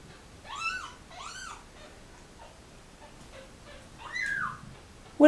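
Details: Kittens from a mother cat and litter abandoned at a turnpike, crying as the mother carries them back to her box; two quick arched mews, a pause, then a longer falling cry, ending in a loud thump.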